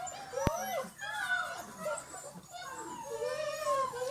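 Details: German Shepherd puppies aged six weeks, line bred, first time on slippery floor; thin wavering whines and squeaks, a sharp click near the start, and a longer drawn whimper toward the end.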